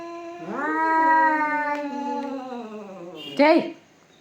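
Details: Fighting cats: a long rising then level yowl held for about three seconds, ending in a sharp loud screech; a person speaks briefly.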